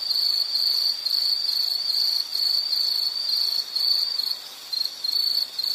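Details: Shrill insect trill made of rapid, closely spaced pulses. It stays high and even, softens briefly around the middle, then falls away for a short moment near the end before resuming.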